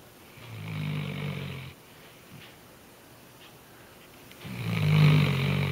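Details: A female Weimaraner sleeping snug in a blanket snores loudly like a human, in two long, low rumbling breaths separated by a quiet pause.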